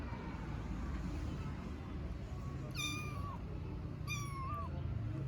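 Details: Hungry kittens meowing for their mother on cold streets: two clear, high, drawn-out meows, each bending down at the end, about a second apart, over steady low street rumble.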